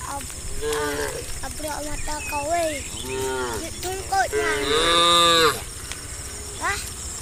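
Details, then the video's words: A herd of tame cows walking toward green fields gives overlapping moos, several short calls then a long loud bellow near five seconds, a last brief moo at the end, over a steady low rumble and faint high hiss. "A Herd of Tame Cows Heading to the Green Fields - Funny Cow Sounds"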